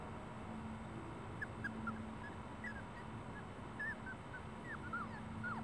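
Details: Celosia's puppies whimpering in short, high, arching squeaks scattered through the clip, some rising and falling in pitch, over a steady low hum and background noise.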